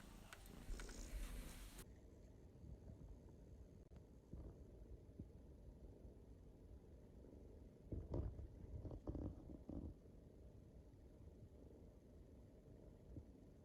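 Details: Male Abyssinian kitten, born 12 September 2021, purring while being stroked indoors, its paw pads pressed so the claws extend. A soft, steady low rumble runs throughout, with rustling handling noises around eight to ten seconds and a brief scrape at the start.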